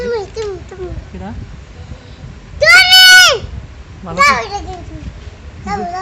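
A hoolock gibbon gives a loud, arching whoop that swells and falls, amid people chatting nearby.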